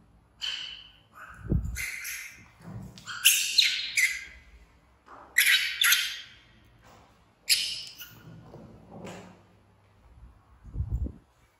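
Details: Infant baby monkey BEAN, one of two orphans found by villagers near the jungle, screams loudly because he wants to follow his busy mother; shrill, harsh bursts come in irregular bouts about every one to two seconds, mixed with soft low thumps between them.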